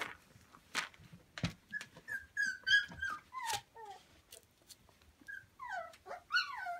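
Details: Samoyed puppies from one litter playing with a pool noodle indoors, Prince Edward Island, Canada, 28 December 2015; high, gliding whines and short yips in quick, uneven bursts, with scuffling and thumps between them.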